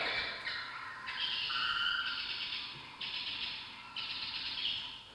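A bat's echolocation, made audible, comes through as a hissy run of squeaks blurring into rough bursts.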